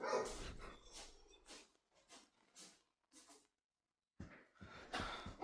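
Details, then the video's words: Dogs barking indoors: a run of sharp, yappy barks coming quickly one after another, a brief silence, then louder barks again at the end. "If you like dogs making noise"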